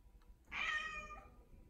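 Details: Pet cat Odeko calls out in an affectionate mood, giving a single clear meow that starts strong and tails off gently, in a quiet indoor room.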